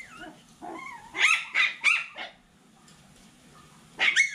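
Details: Young Poodle puppies, seven weeks old, from Lizzy's litter: soft wavering whines lead into four loud shrill yelps in quick succession, a pause with a faint whimper, then a final sharp double yip.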